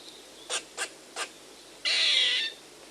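A squirrel gives three sharp chips, then a longer harsh, raspy buzz.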